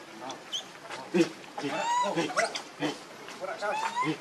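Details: Baby monkey Leo, hungry and begging its mother for milk, gives thin whistled cries that arch up and fall back, some drawn out over about half a second, among brief clicks, rustles and scattered background chatter.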